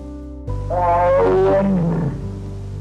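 A cow gives one drawn-out, rich moo lasting over a second and sliding downward in pitch, with steady background music underneath.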